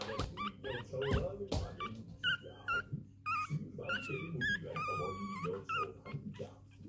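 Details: Fifteen-day-old male Prague Ratter puppies from one litter give high, wavering whines and squeaky whimpers, several overlapping short calls, while a person talks nearby over a low background hum.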